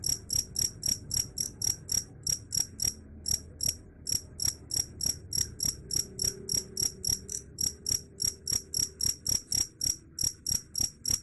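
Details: Cricket chirping, a sound said to drive rats away: a long steady series of sharp high-pitched pulses, roughly three and a half per second, with brief irregular gaps and faint low hum beneath.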